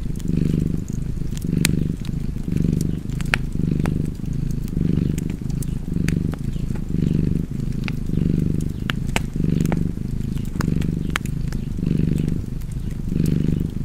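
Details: Purring cat by a fireplace, a low rumble pulsing in breath cycles about once a second, with crackling fire snapping over it.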